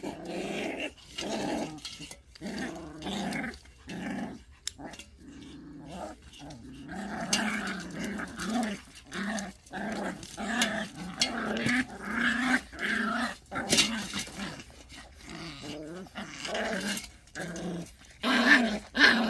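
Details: Pungsan dogs in a fight over rank: continuous low rumbling growls in bursts, broken by short gaps, with sharper snarling peaks near the end.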